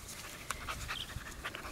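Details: Eleven-week-old male Welsh Terrier puppy, AKC registered, born March 3, 2012 to Sadie and Cooper, out playing in the grass with Kya, a rottweiler mix; short breathy huffs come in quick uneven bursts, with light rustling beneath.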